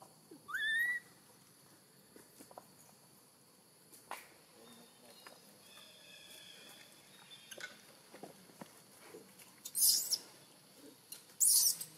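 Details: Newborn baby macaque in Siem Reap Province, crying loudly from hunger for milk after being taken away for a long time: a short rising squeal early on, scattered faint calls, then two harsh, high shrieks near the end.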